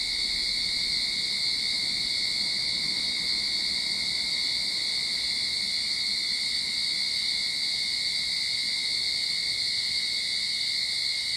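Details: Cicadas singing in a Sydney backyard at the start of summer: a dense, unbroken metallic buzz that stays level throughout, with a bright whining band high above and a steady lower tone beneath, no pauses or other voices.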